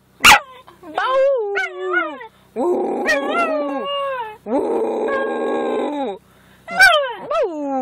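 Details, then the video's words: Male schnauzer howling together with his owner at the moon, wavering rising and falling howls mixed with a person's howling voice, short breaks between phrases. "Schnauzer Howl"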